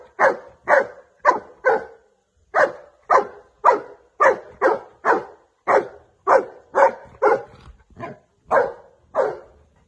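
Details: Golden Retriever barking in a run of short, sharp, repeated barks, roughly two per second with a few brief pauses, each bark a broad burst centered in the mid range; no other clear sounds.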